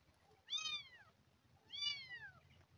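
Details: Two loud, high kitten meows, each rising briefly then sliding downward, about a second apart, from an abandoned kitten found crawling and crying with hunger before being fed milk replacement indoors.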